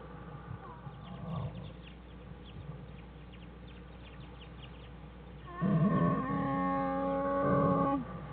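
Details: American black bear Jewel with her cubs Fern and Herbie in their den on January 1, 2013; after a stretch of soft low rustling, a loud, steady harmonic cry rises and holds for about two and a half seconds before stopping.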